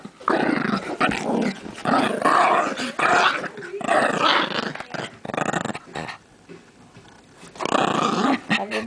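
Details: Mr. Jibs, a Brussels Griffon, play-growling indoors out of frustration at being asked to give back a stolen chair; long rough rumbling growls in several bursts with brief pauses, a person's voice between them.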